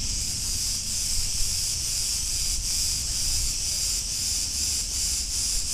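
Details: Street in Ierapetra, Crete, Greece, filled with the hiss of cicadas, an unbroken high buzzing that pulses about twice a second. A steady low rumble runs underneath.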